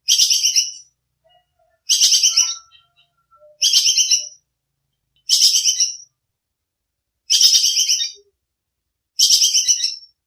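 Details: Squirrel, known locally as bajing kekes, recorded as master training audio for songbirds: sharp, clear bursts of rapid high chattering, each under a second, repeated about every two seconds, six bursts, quiet background.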